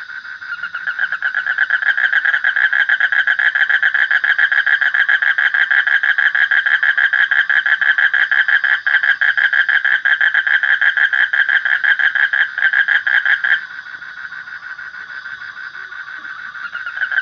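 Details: Frog giving a long, continuous, rapid pulsed trill at a constant mid pitch that suddenly drops to a softer level near the end before rising again.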